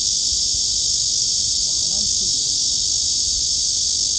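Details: Cicadas drone in summer at Gwanggyo Lake Park, Suwon, Korea, on 16 August 2022, recorded while walking the lakeside trail: a steady, unbroken high buzzing hiss with no pauses, over faint low rumble.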